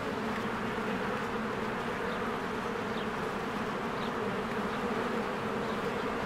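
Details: Many honeybees busy at their hive in spring, coming and going; a constant low, rich buzzing hum fills the whole stretch, with occasional faint short bird notes high above.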